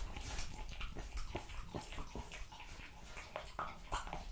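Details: Raw meat being eaten by a French Bulldog, rapid moist smacking and crunching about twice per second, a few brief higher squeaky tones near the close.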